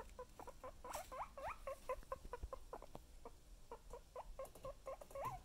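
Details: Pet guinea pig: a fast series of short squeaky chirps and chutters, each a quick rising-falling note, repeated several times a second with brief pauses and soft background noise.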